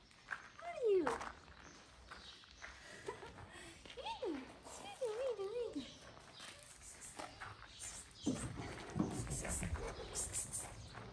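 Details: Little abandoned kitten in a small shelter in Morocco, wanting to play with a woman: three high meows, the first sliding steeply downward, the later ones wavering up and down, with a person talking softly and rustling handling noises.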